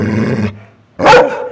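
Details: Dog rumbling low for half a second, falling quiet, then letting out one sharp, loud bark.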